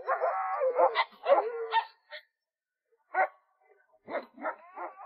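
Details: After resisting play, a pet dog yelps excitedly once it succeeds. A long wavering whine leads into clustered high yelps, then a pause, then scattered single yelps.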